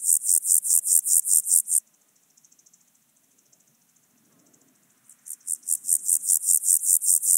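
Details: Chorthippus alticola singing at Obir in Austria on 30 July 2022, ultrasound detector recording: a run of quick, evenly spaced high hissing pulses, a quieter gap of a few seconds, then the rapid rasping series starts again.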